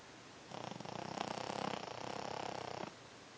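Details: Honey, a small furry female dog, snoring loudly during a nap: one long rasping snore of about two seconds made of rapid fluttering pulses, rising slightly in strength and then stopping abruptly, over faint room hiss.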